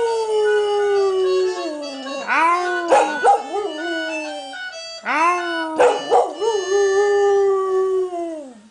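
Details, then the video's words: Border Collie bitch howling along to Irish concertina tunes. She holds long, slowly falling howls, each broken by a brief rising yelp, with two main phrases heard and the concertina music continuing in the background. "Dog sings to Irish Music"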